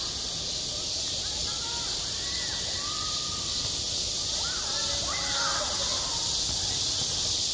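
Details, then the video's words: Midsummer cicada chorus at a school playground. A constant high-pitched shrill hiss runs throughout, while faint distant voices rise and fall underneath. "한 여름 운동장에서 매미가 울고 있다 - 여름의 소리, 학교 종소리, 매미 울음소리"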